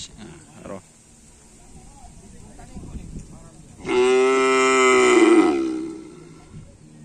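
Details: A karapan sapi bull at afternoon race training on the Asemanis field in Indonesia gives a single loud, long moo of about two seconds, rich in harmonics and dipping slightly at its close, after a few seconds of faint background noise.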